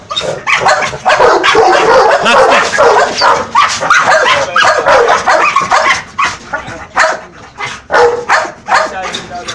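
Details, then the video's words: Angry American Bully rebelling against a companion Boerboel, giving fast, dense volleys of rough barks, often more than two a second, with a brief lull before further sharp bursts near the end. "American bully se revolta com o seu companheiro Boerboel"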